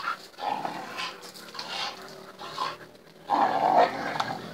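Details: Tricolour Bull Terrier playing: short, rough, breathy growling bursts in several spurts, quiet at first and loudest near the end, with a snorting, grunting texture.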